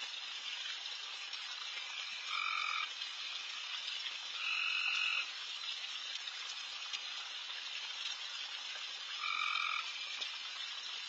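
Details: Loud frogs calling all over a backyard late at night while deer feed; a dense, hissing chorus runs throughout, with three louder two-toned buzzy calls standing out, each lasting about half a second.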